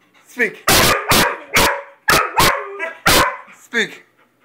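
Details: Two pet dogs, a Weimaraner and a Vizsla, barking excitedly on command as a person repeatedly says "speak"; about six loud, sharp barks in quick succession with whiny yelps between, recorded on a phone.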